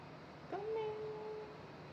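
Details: Ao, a young male cat, tense but not badly frightened during a visit to the vet: one drawn-out, steady meow lasting about a second, in a quiet room.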